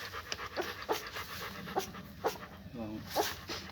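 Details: German Shepherd puppies: short, high squeaky whimpers come about once a second over faint background talking and soft rustling.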